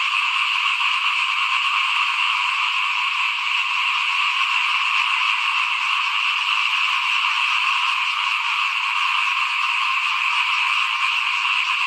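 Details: At rice-sowing time in 2021, frogs call before a house in a thick, steady chorus. Rapid pulsing rattles overlap without a break, and the level stays constant throughout.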